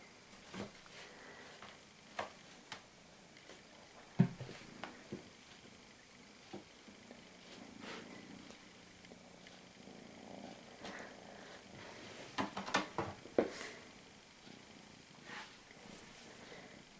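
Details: A male Maine Coon kitten purrs in a low, steady rumble, with occasional soft clicks and rustles.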